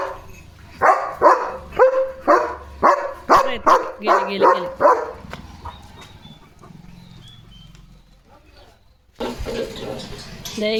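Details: German Shepherd Leo guarding his gate as sheep walk past. A quick run of forceful barks fills the first five seconds, then falls quiet before voices and other noise return near the end.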